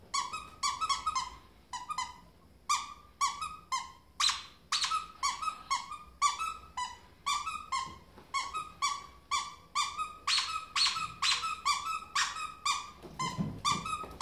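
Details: Indoor ferret bounding like a dog, producing a long series of rhythmic, high, harmonic squeaks at about two per second, some louder and broader bursts among them.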